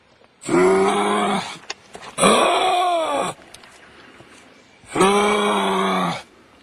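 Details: Kangaroo call: three long, drawn-out harmonic groans, each about a second, rising slightly then falling, separated by short pauses, with a raspy hiss over the top and a quiet room background.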